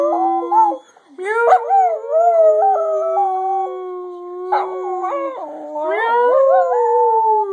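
A dog howls in long, wavering tones that slide up and down like an attempt at singing.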